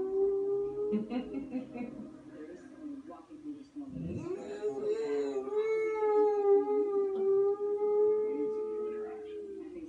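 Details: Boxer dog (Canis familiaris), howl.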